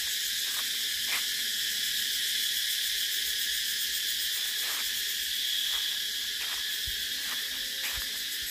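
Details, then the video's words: Cicada chorus as an unbroken sizzling high buzz, slightly swelling midway, with sparse faint clicks and a couple of low thumps near the end. "Tiếng Ve Sầu kêu hay nhất"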